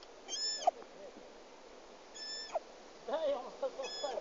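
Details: A lost, hungry roe deer (Capreolus capreolus) fawn in the forest of Sîngerei gives thin, high, nasal bleats, repeated every second or two.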